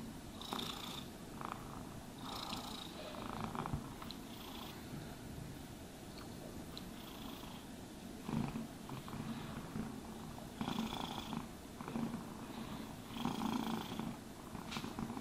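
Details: Domestic cat purring throughout a grooming session; a soft, continuous rumbling purr beneath frequent rhythmic brushing swishes and light scratching sounds.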